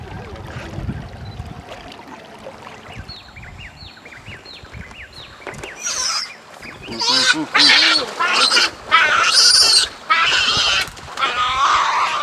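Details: Giant otters in the Pantanal, filmed from a small boat while eating fish, give a run of short falling whistles, then loud, harsh, wavering screams in bursts.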